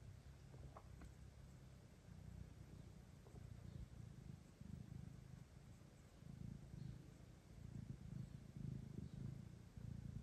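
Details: Quiet, soft purring from a domestic mother cat named Kira with her kittens, a low pulsing rumble rising and falling over a hiss of background noise.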